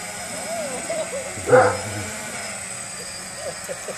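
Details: Golden Retriever reacting to a DJI Phantom quadcopter drone: one short, sharp bark bursts out midway, standing clear above the steady whine of the hovering drone, with faint murmurs before and after.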